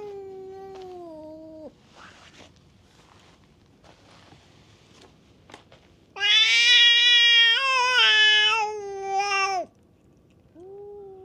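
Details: Stray cats fighting at a bar on a cat island: a falling, moaning yowl, then a pause with faint clicks, then a loud, strained, wavering yowl lasting over three seconds, ending with another low moan.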